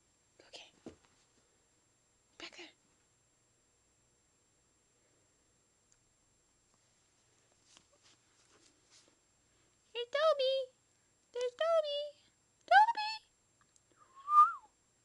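A Schipperke gives a few short, high, whining yips, each bending up or down in pitch.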